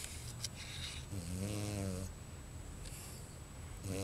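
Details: Luna, a pregnant Bichon Frise forty days into gestation and expecting five puppies, sleeps in her bed indoors; one low, harmonic snore rumbles near the middle, then soft breathing and a second snore beginning at the end.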